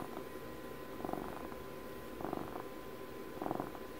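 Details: Purring of a domestic cat, a recording made for Puppy's 12th birthday: soft rhythmic rumbling bursts roughly every second and a quarter, steady low buzz with faint constant hum in a quiet indoor room.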